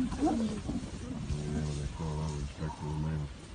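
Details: A spotted hyena gives a low, droning alarm call in repeated bursts as a male lion approaches.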